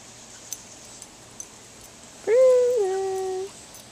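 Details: Boston Terrier named Brutus playing in a sprinkler on a hot summer day gives one drawn-out whine lasting just over a second, steady then dropping slightly in pitch, over a soft hiss of spraying water.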